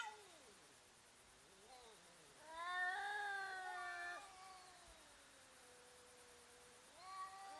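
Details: Fighting cats threatening each other, in slow motion: a low sliding moan, then a louder wavering wail around the middle, fading into a long steady low tone and a final rising yowl.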